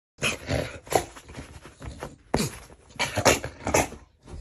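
A bull terrier lets out a string of throaty growls, grumbles and whiny yelps in bursts.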